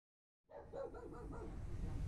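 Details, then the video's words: A Shih Tzu/Maltese mix dog gives a short, wavering, mid-pitched howl that wobbles up and down over rumbling background noise. "DOG CUTEST HOWLING OR Dog CUTEST BARKING,SHIH TZU/MALTESE DOG"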